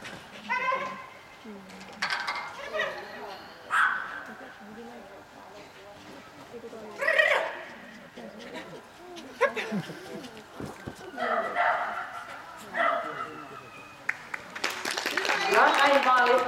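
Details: Kleinspitz Ina running an xS agility course at a Vekara Agility regional championship qualifier on 25.07.2020, giving sharp, high yapping barks at irregular intervals across the run, with human voices and a surge of crowd noise near the end.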